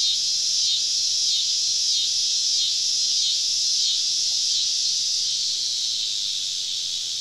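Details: Cicadas massed around a camp deep in southern woods on a summer evening, producing a continuous piercing hiss-like buzz with fast, uneven pulsations throughout.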